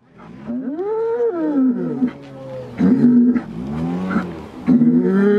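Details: Fighting bulls bellowing and roaring as threats before a bullfight during Holy Week in Chupas, Ayacucho; harmonic, wavering calls rising then sagging, several overlapping bursts over a few seconds with background rumble.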